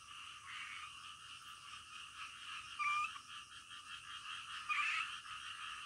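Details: Frogs calling at night, a dense chorus of rapid pulsed croaks in a steady band, with two brief louder whistled notes near three and five seconds rising above the continuous background din.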